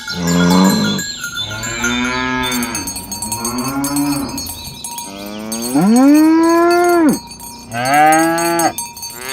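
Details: Tame cattle, dozens of fat cows herded along village roads toward the pen in the morning, give several deep, drawn-out moos, one rising then falling in a long, loud bellow, over steady ringing cowbells.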